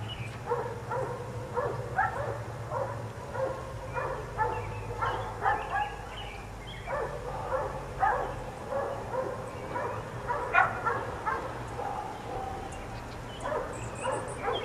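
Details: Dogs kept outdoors all day by neighbours, four of them, bark in rapid overlapping runs, several dogs yapping almost continuously with brief pauses, a constant low hum underneath.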